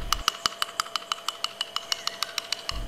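Crisp broadband clicks from a beluga whale tick along at a fairly even pace, roughly five or six per second. Each click is brief and snapping, much like quick tapping on a hard surface.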